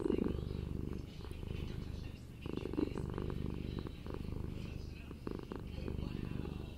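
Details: Napping pet kitten purring, a low continuous rumble with soft rhythmic swells, a louder burst near the start and steady rumbling to the end.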